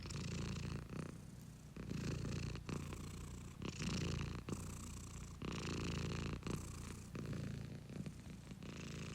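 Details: Domestic cat purring at close range, deep continuous vibrating rumble alternating between inhale and exhale roughly every one to two seconds, a short quiet break marking each breath change.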